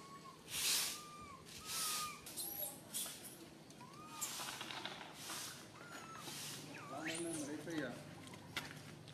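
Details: Tiny baby monkey stuck alone high in a tree, fearful and crying for its mother: thin, arched whistled cries repeated every second or so, with bursts of rustling noise between them.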